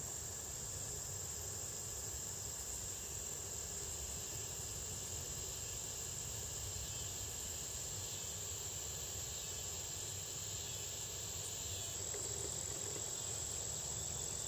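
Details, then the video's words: A constant thin, high ringing trill from a red-headed bush cricket and neighbouring insects, State Botanical Garden of Georgia, Athens, USA, 2010, over a soft low background hum. "Red Headed Cricket (Pyhllopalpus pulchellus)"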